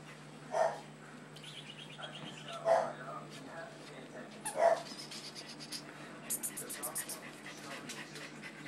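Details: Six-week-old puppies, a male and female litter indoors; three short, sharp yips roughly two seconds apart, each with a tonal mid-pitched core, over soft human chatter and faint rustling.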